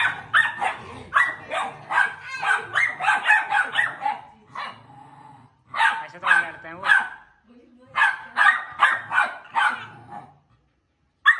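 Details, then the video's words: Pair of Pit Bull Terrier puppies scuffling in play: long runs of shrill, rapid barks and yelps in tight clusters, broken by brief lulls, with faint murmuring between bursts. "When two Pitbull Puppies Meets || Pitbull Puppy Fighting"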